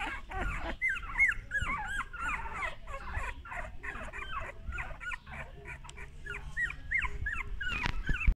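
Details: Male golden English Cocker Spaniel puppies whimper and yip in a steady stream of short, high, bending whines.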